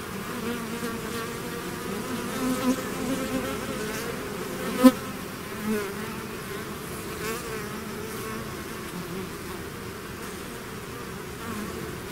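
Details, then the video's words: Bees swarming out of their hive make a low, steady drone of overlapping wingbeats, the hum rising and falling slightly as individual insects pass close, with one brief sharp knock near the middle. "bees therapy swarm natural buzzing sound"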